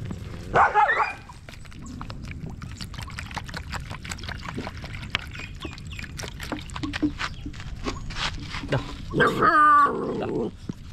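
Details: Stray puppy crying for help while held in someone's arms: two loud bursts of high, wavering, harmonic whimpers, one near the start and one near the end, with handling rustle and low background noise between them.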